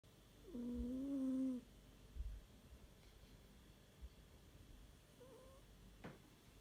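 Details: Sleeping domestic cat snoring indoors: one long, steady, voiced nasal drone lasting about a second, then a much fainter second breath sound several seconds later, with a quiet room otherwise.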